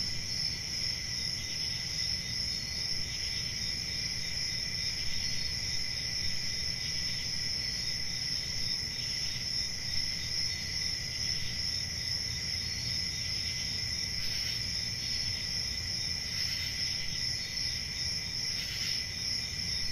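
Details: Night-time cricket chorus in a summer forest, a continuous shrill ringing trill that holds steady, with a few short brighter bursts near the end and a faint low background hum.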